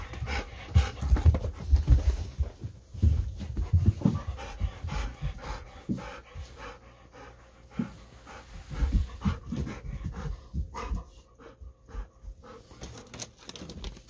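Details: Golden Retriever back indoors from an evening walk, pressing for a treat of sweet potato; heavy rhythmic panting comes in quick bursts, louder at the start and again midway, with soft rustles around it.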